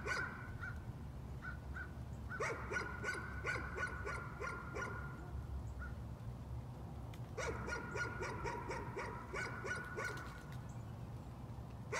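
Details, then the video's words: Nuisance barking from a dog: two long bursts of rapid, sharp barks, several each second, split by a short pause, over a steady low background hum. "Nuisance barking again."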